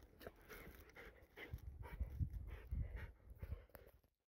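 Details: Golden retriever panting: quick, rough, breathy bursts, low and irregular, about a hundred breaths a minute, with some soft clicks and faint whimper-like tones over them.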